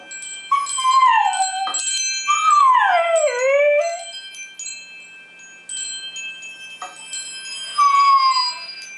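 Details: Polo, a pet dog, howls along with ringing wind chimes: long sliding howls that dip and rise, with bright sustained chime tones ringing throughout and brief pauses between howls.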